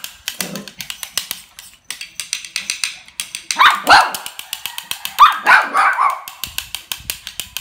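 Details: Mixed-breed toy dog playing happily: a fast, regular patter of light clicks throughout, broken by a cluster of bright, high yapping barks in the second half.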